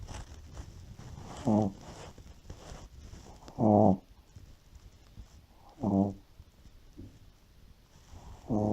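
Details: A Shih Tzu in deep sleep snores like an old man. Four rough, buzzy snores come roughly every two to two and a half seconds over a soft background hiss.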